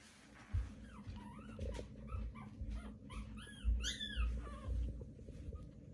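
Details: Newborn Pomeranian puppies, day 18, uttering scattered high arched squeaks that climb and drop, a few louder cries near the middle, over low thumps and handling noise.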